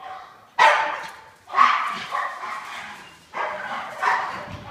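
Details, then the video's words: Two pet dogs at daily play, a game of tag where one outsmarts and outruns the other. Loud barks roughly once a second, each trailing into a rough, growling vocalisation. "Our dogs play tag"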